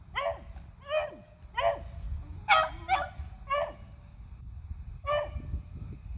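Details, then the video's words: Squirrel-hunting beagles Athena, Zeus (eleven years old) and River (three), April 21, 2020, give seven sharp barks spaced about a second apart, each with a short falling tail, over low rumbling background noise. "Beagles Hunting Squirrels"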